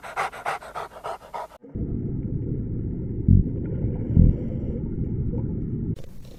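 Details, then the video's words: A dog pants in quick, breathy bursts, about six in a second and a half, followed by a low, muffled rumble. "Interesting sounds of familiar animals: cow, horse, panda, chicken, dog"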